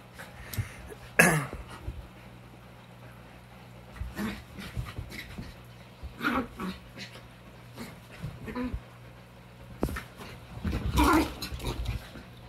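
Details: Vocal female puppy playing with other puppies during quarantine, May 2020, with Sadie egging her on; a sharp downward-sweeping yelp near the start, then scattered short barks and scuffling, later a louder bark burst, with human speech.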